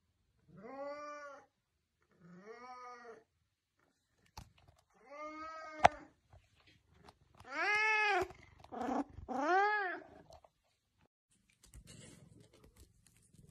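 An Oriental Shorthair cat gives a run of loud, drawn-out, nasal meows that rise and fall.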